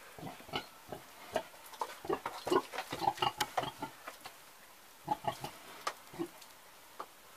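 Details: Old pig giving a series of short, low grunts, irregularly spaced, with a louder cluster around three seconds, a brief lull, then more grunts after five seconds.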